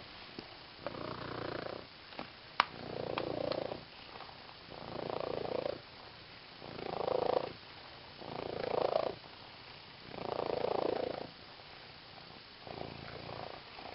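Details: Female pet cat playing with a green fish toy, recorded close up, purring steadily: rhythmic rumbling bursts rise and fall with each breath roughly every one and a half seconds, a sharp click near the start.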